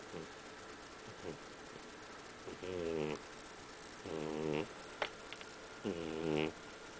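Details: Very loud snoring from a sleeping cat: rhythmic rasping, buzzy snores roughly every one and a half seconds, each about half a second long, with soft breathy sounds in between.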